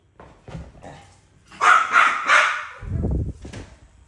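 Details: Two dogs argue over who gets a toy, trading several short barking bursts, then a loud, harsh, drawn-out outburst in the middle and a low rumbling growl near the end.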